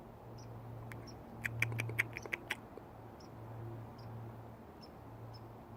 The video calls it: Baby squirrel making noises, curious wild life events